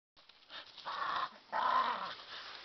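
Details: A dog yodelling while playing with another dog as the two chew on a tree; two drawn-out, wavering vocal bursts of about half a second each, the second louder, with a low growling undertone.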